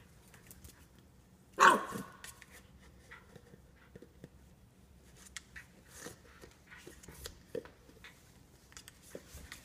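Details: Norfolk Terrier named Ernie giving one sharp, loud bark about a second and a half in, followed by a short fading tail, then only faint clicks, taps and light rustling for the rest of the recording.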